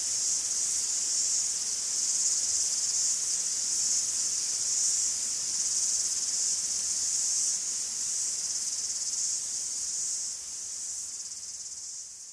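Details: Cicadas singing in a forest in Greece: a dense, hissing, very high buzz held almost without pause, swelling and easing slightly in loudness and softening toward the end.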